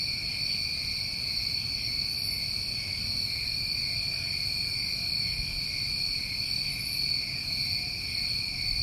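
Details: New England crickets on a summer night, a dense unbroken high-pitched trill held throughout, joined by two short sizzling bursts above it and a soft low rumble.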